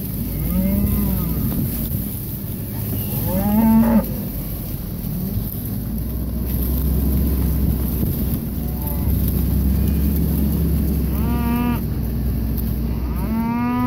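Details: Red Angus cattle pairs in Kansas. Scattered moos, some low and some higher with a rising-falling tone, come from several animals over a constant low engine-like hum.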